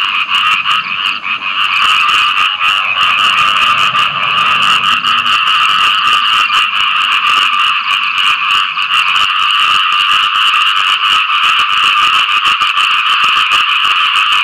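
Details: Post-rain frog mating chorus, many callers croaking at once in a constant rasping drone. A faint low hum sits underneath during the first few seconds.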